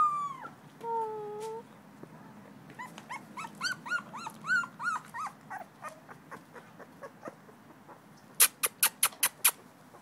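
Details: Male blue-nosed American Pit Bull Terrier puppy Davy, two weeks old, filmed 21 December 2011: a drawn-out falling wail opens, then a burst of quick squeaky whimpers, fading into softer peeps, followed by six sharp tapping clicks.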